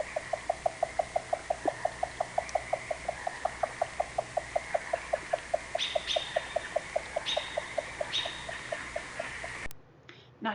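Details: A Columbia spotted frog gives a long, steady series of hollow knocks, about five each second, a knocking call that can be confused with woodpeckers.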